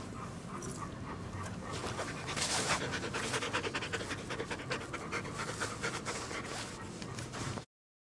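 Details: Rapid, airy panting of big dogs: Nami, a one-year-old Siberian Husky, plus golden mutt Duke and three-legged Duchess; about 200 rhythmic breaths per minute, loudest in the middle, ending abruptly.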